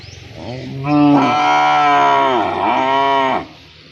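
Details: Cow calling partners to mate, giving one long, loud moo that rises, holds steady, dips briefly in the middle and swells again before stopping after about three seconds, rich and harmonic over a low background hum.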